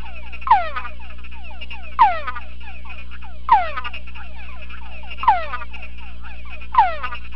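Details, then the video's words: Captive male túngara frog in a sound-proof box answers a played chorus of its own species. Bright downward-sweeping whines come roughly every 1.5 seconds, layered over softer overlapping whines from the speaker and a constant low hum. "tungara frog in evoked vocal response test"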